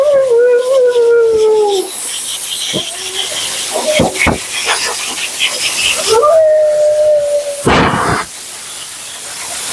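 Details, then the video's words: Mila, a talkative female Siberian Husky at her second-ever groom, protests during her bath with a long wavering howl that slides downward, then a second drawn-out moan, over a steady hiss of water spray. "Talking Husky"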